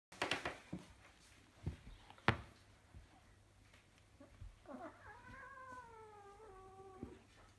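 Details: Two four-month-old blue Maine Coon kittens play-fighting indoors at a cattery after breakfast; thumps and scuffling noises, then one drawn-out, wavering meow that slowly falls in pitch over about two seconds, over a steady low hum.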